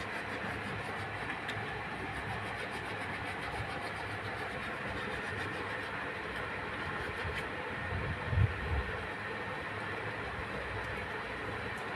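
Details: Steady mechanical rumble like a train or engine runs throughout, with a brief louder thump near the end and no animal calls.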